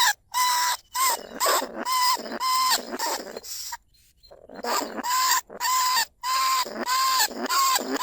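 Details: Wild lesser bandicoot rat calling in rice paddies at Na Lao, Nong Khu Phai, a live recording played to draw rats into cage traps: raspy, harmonic cries in quick runs of two per second, broken by several brief pauses and a longer gap midway.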